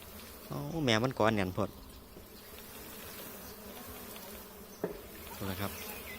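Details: Giant honey bees swarming during a honey harvest at their hive, 15 July 2023: a steady low buzzing hum runs throughout, with a man's voice talking loudly over the first two seconds and again briefly near the end.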